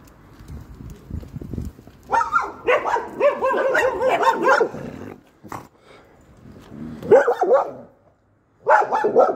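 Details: Three guard dogs barking, heard but unseen by an Alaskan Malamute. Loud bursts of rapid, overlapping barks run for about three seconds, stop briefly, then return in two shorter volleys with quiet gaps between.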